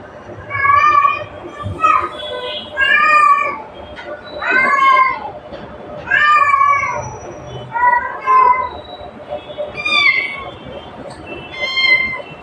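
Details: Cat calling its mother with clear, repeated meows roughly every one to two seconds, each a bright harmonic note that bends up then falls, some longer and drawn out, over a faint steady background hum.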